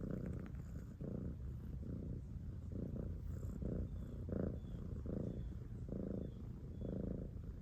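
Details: Cat purring steadily, a low rumbling hum that swells in pulses about once a second, following the rhythm of its breathing; no other sounds stand out.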